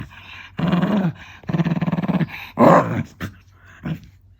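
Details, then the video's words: Eleven-year-old female black Shiba Inu growling playfully at her owner's feet indoors, not angry; low throaty growls in three long pulsing bursts, the middle one rattling rapidly, then a sharper yelp-like snarl and short grumbles. "柴犬VSパパの足 ガウガウが凄いけど怒ってないよ"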